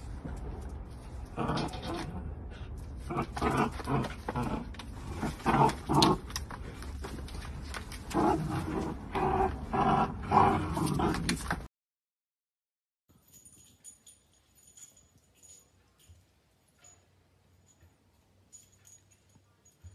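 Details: Miniature dachshund at play, producing a long run of rough, pulsing growls in uneven bursts for about twelve seconds, followed by near silence with faint shuffling and a thin high tone.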